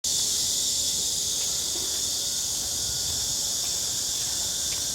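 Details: Cicadas singing around a house during a daily walk in a hot summer: a steady, unbroken high hiss-like drone without pauses, holding at one level throughout.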